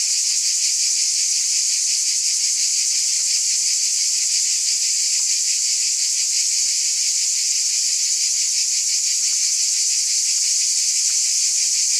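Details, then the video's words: Continuous shrill buzzing of cicadas, a thick high hiss-like wall of sound throbbing with rapid regular pulses, even volume from start to end, nothing else audible. "Scintillating Cicadas 1 hour White Noise"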